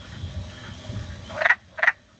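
Two short, raspy clucks from a wood frog come close together, each sounding like a muffled quack. A faint low hum fills the moments before the calls.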